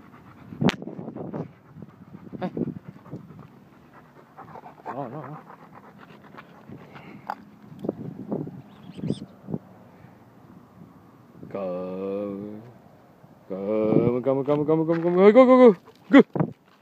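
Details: Irish Setter dog; soft panting and scattered clicks, then long high whining whimpers with stacked harmonics around twelve seconds and again, louder and rising, from about fourteen to sixteen seconds, with distant speech.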